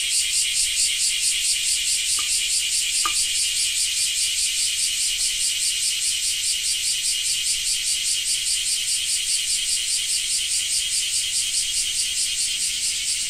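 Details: Japanese cicadas produce a loud high shrill buzz that pulses rhythmically about twice a second throughout, with two faint brief clicks early on.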